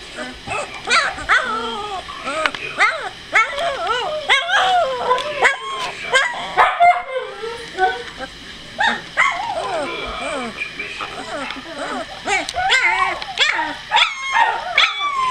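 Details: Two-week-old puppies with eyes just opening and growing more mobile, a litter producing dense overlapping whines, squeaks and arched whimpers almost continuously, with brief quieter gaps and a steady background hum.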